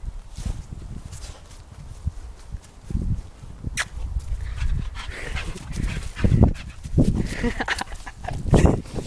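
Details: A hyperactive working Irish wheaten terrier makes low, rough grunting and growling bursts at irregular intervals, growing louder and more huffing toward the end.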